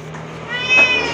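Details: Sick cat with severe scabies, hungry and thirsty, crying after coming to a house to ask for help; a single meow swells from faint to loud in its second half over a low steady hum.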